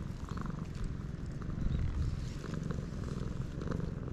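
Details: Close, dense purring from a stray cat on a cat island in Japan, captured with a GoPro HERO8. The throaty rumble grows slightly louder midway, with a little outdoor hiss behind it.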